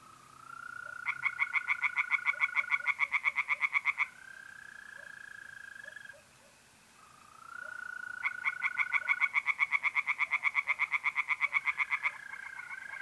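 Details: Mid-April night at a pond in north-east Italy, where tree frogs call in two long runs of quick, rattling croaks, a few each second, while mole crickets trill in sustained, slightly wavering tones between the bursts.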